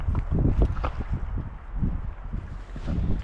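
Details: Deep rumbling wind and handling noise from a camera strapped to a dog, playing in the first snow; no animal call is heard.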